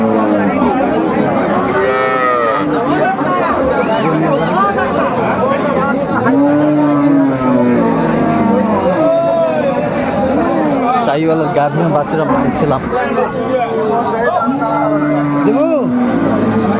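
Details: Cows with calves for sale at Aftabganj cattle market in Dinajpur, Bangladesh, on 1 September 2024. A few drawn-out, low, slightly falling moos rise above constant crowd chatter and bargaining voices.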